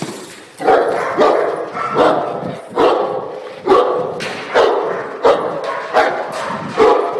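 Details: Cane Corso practicing bark and hold, barking forcefully and repeatedly, roughly one heavy bark per second across seven seconds, each bark broad and rough.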